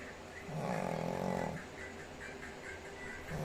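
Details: Pet Shih Tzu dog snoring indoors: one long, rough, droning snore swells in the middle, then fades back to soft, steady breathing noise with a faint hum.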